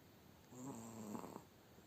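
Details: Sleeping Spitz worn out from a hard day lets out one drawn-out nasal snore, a low humming rattle that ends in a brief snort, with quiet surroundings.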